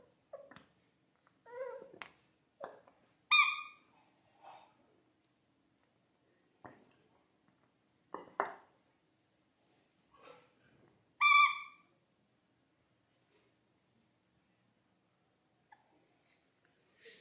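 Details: Playful Labrador Retriever puppy indoors giving high, thin whining yelps with stacked harmonics, a handful of short calls spread out, two louder drawn-out whines standing out, in an otherwise quiet room.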